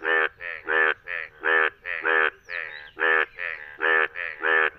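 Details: Indian bullfrog, a yellow frog calling in the rain in India, gives loud, nasal, bleating croaks in a quick, uneven series, about two each second.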